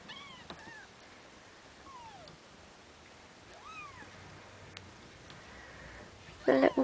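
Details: Bengal kittens just over two weeks old from Ariel and Dream's litter, a few faint, thin descending mews spaced apart, then a loud brief sound at the end.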